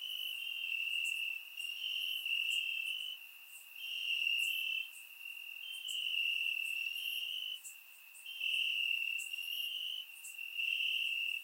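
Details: Crickets chirp steadily in the grass on a warm summer night in Bulgaria, on a single high, pure pitch, the pulsed trills overlapping in long bursts.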